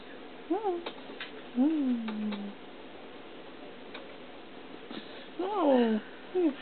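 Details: Baby feral kitten, caught two days earlier and turning affectionate, gives several short rising-falling meows indoors, with a longer drawn-out falling mew and gaps between; a person speaks softly and light tapping sounds occur.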